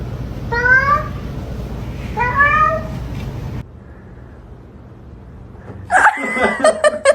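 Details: Domestic cat gives two clear rising-falling meows about a second and a half apart, each with bright stacked overtones. A low steady hum runs underneath, and a burst of clattering noise follows near the end.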